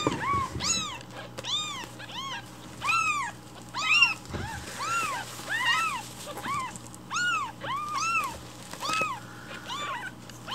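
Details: A hungry rescued baby kitten meows loudly and repeatedly in the morning, demanding its breakfast milk while it is being prepared.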